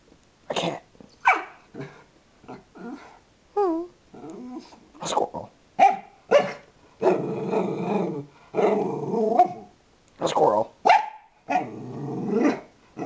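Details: A pet dog whose mood swings within seconds from extreme calm to extreme excitement: short sharp barks and rough growls in irregular bursts, with a brief whining, wavering cry in between and denser growling runs toward the end.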